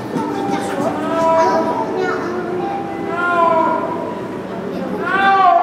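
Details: Akbar, a 6-year-old male snow leopard at Maruyama Zoo, gives long, drawn-out wailing calls with gliding pitch, repeated every couple of seconds, on 10 January 2012; he has called at times since year's end, possibly signalling the breeding season.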